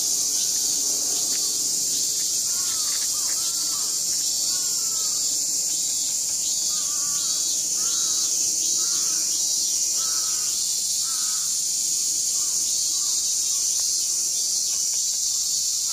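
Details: Many cicadas at a stream garden on August 1, massed into a dense, unbroken high-pitched hiss that never pauses. Short, arched, mid-pitched calls from another animal repeat every second or so underneath.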